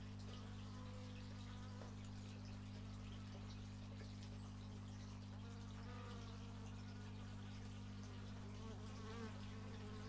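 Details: Bees drone steadily in this outdoor stereo x/y microphone recording, a constant low buzz overlaid with faint brief rising and falling tones and soft ticking background noise.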